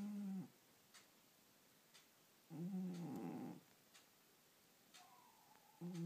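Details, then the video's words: Pet cat sleeping and snoring, low nasal buzzing snores in a slow rhythm, one louder and rougher in the middle, with a thin whistling breath sound and soft clicks between. "The Snoring Cat"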